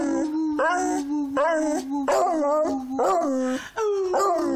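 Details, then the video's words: Beagle singing, a continuous mournful howl with steady low tones interrupted by wavering, rising and falling yodel-like phrases roughly every second. "Beagle singing"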